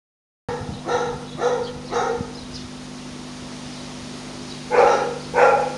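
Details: French Bulldog puppy giving short harmonic barks, three in quick succession, a pause, then two more, over a steady low electrical hum.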